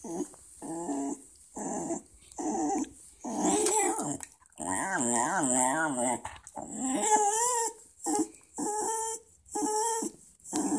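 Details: Talkative Welsh Terrier makes a run of short grumbling, whining bursts, then longer yodelling, wavering howls, and ends with repeated nasal whimpers, with brief pauses between utterances.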